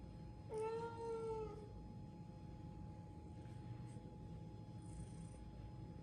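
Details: A domestic cat begging for crunchy biscuits lets out one clear meow of about a second early on, level and slightly drooping, followed by quiet room noise, a steady hum and faint rustles.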